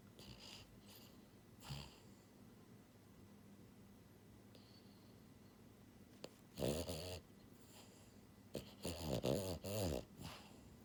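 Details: Sleeping French Bulldog Buhiko, a pied female pet born January 2022, breathes softly for several seconds, then gives rough, buzzing snores in short vibrating bursts near the end, in a small quiet room.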